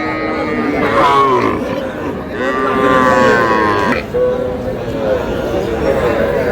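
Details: Sahiwal calves, small bulls and heifers bought by a Shariatpur farmer on 11 August, lowing repeatedly. Three or four harmonic moos, each about a second long, some rising then falling, over constant human chatter.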